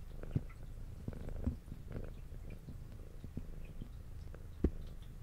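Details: Female pet cat, brown tabby with a white underside, eating indoors while purring: a low continuous rumble mixed with frequent soft chewing, licking and smacking clicks, a few sharper taps standing out.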